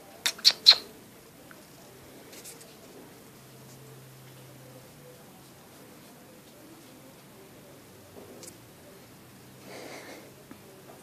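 A Turkish Van kitten gives three quick, sharp sneezes in a row, then the room falls quiet.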